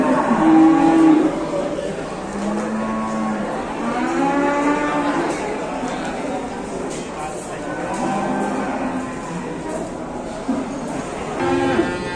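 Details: Large cattle gathered at a cattle contest in Indonesia, several drawn-out harmonic moos overlapping, some rising and falling, sounding one after another over twelve seconds amid a murmur of people and a hall-like echo.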